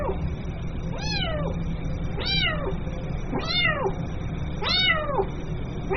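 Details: Kitten calling its mother with repeated short, shrill meows that drop in pitch, about one every 1.2 seconds, over persistent low background hum.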